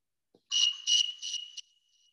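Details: A warm snowy tree cricket in California sings a clear, high, pulsing trill in quick, even beats, its song changing with temperature; it sounds somewhat like the western rock-loving field cricket.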